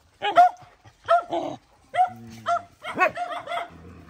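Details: Dog protecting her babies in a fight: separate sharp barks about every half second to second, mixed with a low rumbling growl and a strained, whining yelp.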